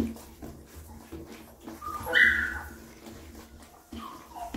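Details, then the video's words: Mother dog cleaning and feeding her newborn puppies indoors; a brief, high, thin whimper rises midway, set against soft wet licking and a steady low hum. "Mother Dog Cleaning And Feeds Puppies – ASMR Dog Licking"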